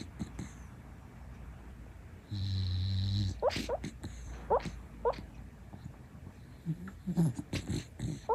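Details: A sleeping female rescue Shiba Inu, born 2016, snoring indoors. A low steady snore is followed by a series of short, high whimpering squeaks that rise and fall, along with soft snuffles and breathy grunts.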